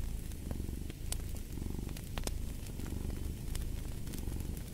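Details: Domestic cat purring in a steady, deep, low rumble with subtle rhythmic pulsing, layered with a crackling fireplace whose sharp pops and snaps sound throughout.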